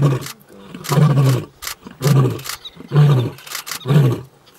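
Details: Young male lion in the African bush ending his arrival roar with deep, rough grunts, about one per second, each a short low huff.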